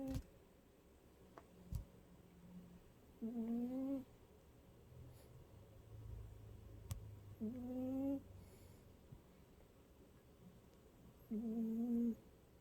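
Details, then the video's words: Cute cat snoring: three tonal, humming snores, each about a second long, come roughly every four seconds over a quiet background with a few faint clicks and low rumbles. "귀여운 고양이 코골이"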